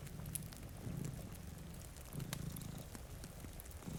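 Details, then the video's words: A brief stretch of soft, throaty purring from cats asleep near a rainy window, rising in two gentle swells beneath snapping fire crackles and faint rain. "Purring Cat"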